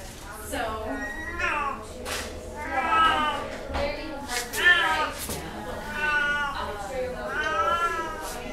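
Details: Domestic Shorthair cat up for adoption, meowing repeatedly: drawn-out, wavering, harmonic-rich meows about every second and a half, some rising then falling, with brief clicks and handling noises between calls.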